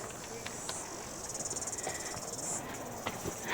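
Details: At Wai-O-Tapu Thermal Wonderland near Rotorua, New Zealand, cicadas fill the geothermal park with a shrill, rapidly pulsing buzz that rises and swells, with faint distant voices underneath.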